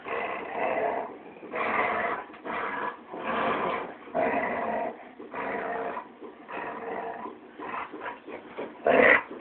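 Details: Play growls from dogs, one a Labrador, during tug of war: rough, pulsing growl bursts about a second long, repeated with short gaps, ending in a louder yelp.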